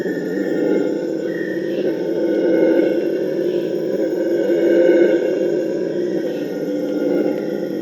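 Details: Howling Purus red howler monkeys, whose howls serve to prevent fighting between groups, give a sustained deep roaring chorus that swells around the middle and again near the end, with faint birdsong and insect hum behind.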